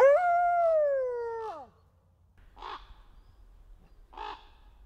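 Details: A captive male endangered red wolf at a conservation centre in South Salem, New York, gives a smooth, steady howl that slides downward and breaks off, followed by two short harsh calls.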